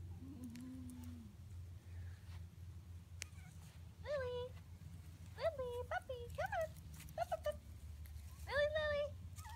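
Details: After a vet check-up, seven-week-old Schnauzer puppies give clusters of high, arched whines and short yelps, growing louder toward the end, while a person calls a pup named Lily; a low background hum persists.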